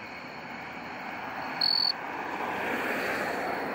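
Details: Male jumping bush cricket singing close up in crabapple trees at Friendly Village manufactured home park in early September: a single short, loud, pure-toned high chirp lasting about a third of a second over a steady broadband hiss of background noise.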